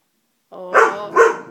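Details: Dobermann puppy frightened by a stuffed toy lets out two quick high-pitched barks, the second following about half a second after the first, with a whiny tonal edge.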